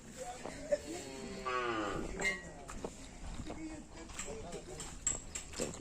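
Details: Karapan sapi racing bulls of the Bongkar Kalisari pair training at Lap Asemanis ahead of a race event. A drawn-out, falling harmonic moo rises out of the noise midway, surrounded by clatter, clicks and voices.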